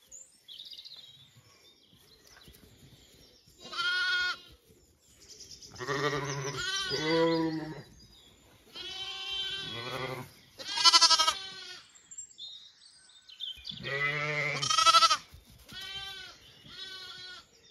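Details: Zwartbles lambs and ewes at breakfast on a County Kilkenny farm, Ireland: a chorus of repeated bleats, some deep and throaty, others high and quavering, roughly every couple of seconds, with light background rustle.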